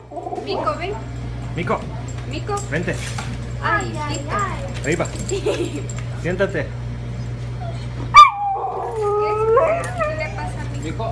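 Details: A male Alaskan Klee Kai puppy in New York City, jealous of his beagle friend's stroller, yips and whines in rising, wavering bursts, then holds a longer, warbling howl.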